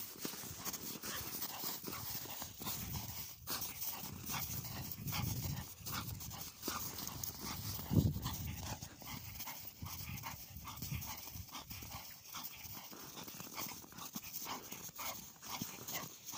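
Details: Bull Terrier worn out after play, panting hard: rapid, breathy huffs repeat several times a second in a steady rhythm throughout, with a brief louder knock near the middle.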